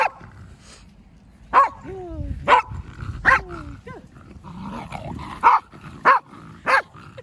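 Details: Excited Pembroke Welsh Corgi, born July 2015, barking while enjoying a playful counterattack at home; short loud yaps come roughly once or twice a second, some trailing into falling whiny tones, over faint room chatter.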